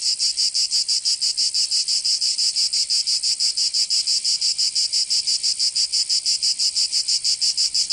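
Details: Summertime cicadas in Provence, France, keep up a piercing metallic buzz with very even rapid pulses, around three each second, unbroken and uniform, without other animals or noise.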